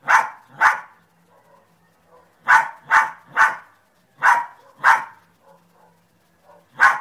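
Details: Sharp, loud dog barks arriving in pairs and triplets, with a second-long lull between groups and a quiet background.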